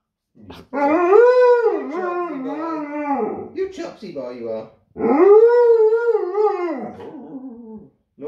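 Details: A giant malamute puppy talking in two long, arching woo-woo howls, each swelling up and sliding back down over about three seconds. A short pause separates them, and a brief grumble sits in between. The room is otherwise quiet.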